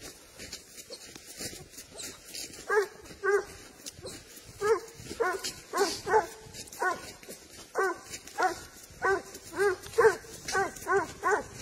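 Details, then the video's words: Spanish hound on the trail of wild boar, a good driver of game, giving steady, urgent barking: about twenty loud, harsh barks, roughly two per second, continuing over brushy background noise. "SABUESO ESPAÑOL, AL RASTREO DE JABALÍ"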